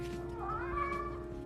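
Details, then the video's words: Reddington, a golden tabby rescue cat with green eyes, who became loud and dramatic after surgery and meows for food, pets and attention, gives one rising, drawn-out meow over steady background music. "Woman Adopts Shy Cat Named Reddington—Now He Won’t Stop Talking"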